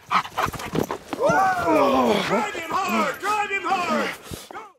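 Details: German Shepherd during obedience and protection dog training, giving a run of short, harsh barks that arch down in pitch, mixed with a handler's loud shouted commands and praise outdoors.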